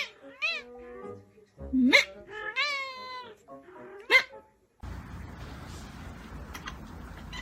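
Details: Domestic cat in a funny cat compilation, giving a run of about five tonal meows, some sweeping sharply upward, others bending down, over a quiet background; after four seconds a steady broadband noise takes over.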